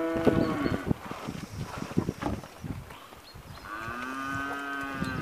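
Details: British Blue cross and Limousin cross steers and heifers, a group of 82 cattle; a short harmonic bawl at the start, clattering knocks in between, then a long drawn-out, steady moo from the middle to the end.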